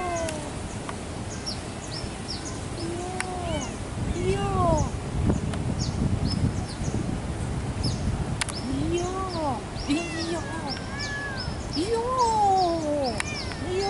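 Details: Male pet cat living in Asia's warm climate, uttering repeated drawn-out arching meows, some rising and bending down, several seconds apart, while high, rapid chirps from birds or insects run through the background and low rumble persists.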